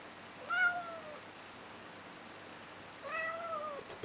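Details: Neo, a male house cat wanting to go out into the snow, utters two clear, slightly descending meows about two and a half seconds apart in a quiet room.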